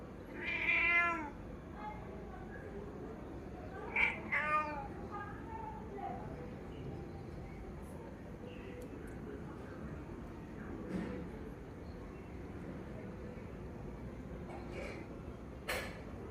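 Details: A cat, scared off its food by another cat, calls its owner. A few short meows come early on, then long quiet stretches with faint clicks and a woman speaking softly.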